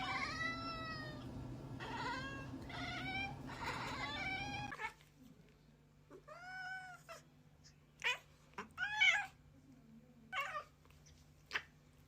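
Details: Cat meowing: first a run of quick, rising-falling meows over a noisy hum, then after a pause a clear, clean meow, followed by short, sharp chirping calls.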